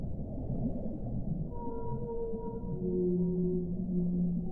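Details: Whale vocalising: several sustained tonal notes overlap, with a high held tone and then lower moans that slide slightly downward, over a dense low rumble of water.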